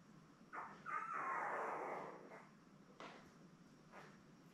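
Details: Litter of seven newborn Labrador Retriever pups, born May 24, 2021, beside their mother Belle. One drawn-out, wavering squeal slides downward, followed by a few short, soft squeaks, all indoors on a puppy cam.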